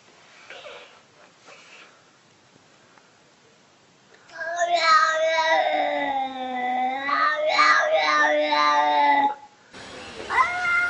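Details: Domestic cat from a compilation of cute, funny cats, giving one long, drawn-out wavering yowl lasting about five seconds after a quiet start, followed by a brief higher cry at the end.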